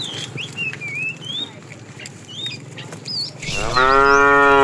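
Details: Tame cows wandering in a herd in search of food; after three seconds of bird chirps, one cow starts a loud, rich moo that runs to the end.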